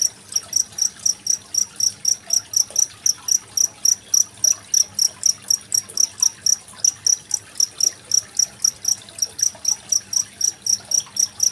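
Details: Indonesian cricket with gently trickling water, a recording from 25 February 2023 used to train contest songbirds like magpie-robins; steady shrill pulses, roughly four per second, with a faint water trickle throughout.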